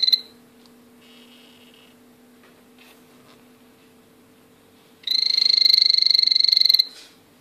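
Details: Captive male blue poison dart frog of the azureus form singing: after a clipped ending and a quiet pause, one rapid, evenly pulsed high buzz runs for nearly two seconds, with a constant faint hum underneath.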